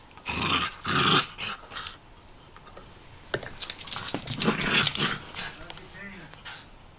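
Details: A three-year-old female Jack Russell Terrier indoors, recorded 18 October 2014, keeps fighting a pot-shaped puzzle toy because she cannot get the treats out. Rough, noisy growling bursts come in uneven clusters, mixed with clattering of the toy.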